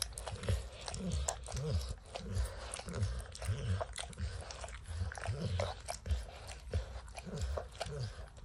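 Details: Max, a dog, licks and snacks on peanut butter and kibble stuck in an orange mat indoors. Wet smacking licks and soft crunches arrive in an uneven rhythm, about one every two seconds, with low thumping underneath and no talking.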